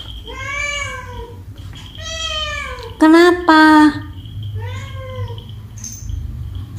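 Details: Domestic cats meowing angrily at another cat: five drawn-out, harmonic meows over about seven seconds. The fourth and fifth come loud and close together, strained and level in pitch, over a low steady hum.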